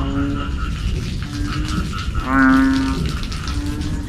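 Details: Evening calling of a banded bullfrog, the kind that keeps people awake: one loud, low, moaning note lasting about half a second rises above a background chorus of similar droning calls and a low rumble.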